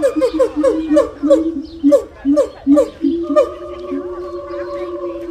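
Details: A gibbon calls to establish territory and reinforce family ties, giving a run of rapid, swooping hoots, then settling into a long steady wailing tone.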